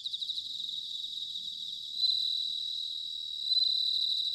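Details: Bell crickets singing in autumn at Sanuki, Chiba, Japan: a high, bright ringing trill of rapid pulses. Louder sustained ringing swells near two seconds and again around three and a half seconds. No other sounds.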